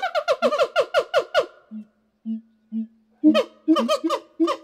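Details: Siamangs calling back and forth to communicate. A fast run of rising, hooting whoops speeds up, then gives way to a few low, spaced boom notes. After that the quick whooping series starts again.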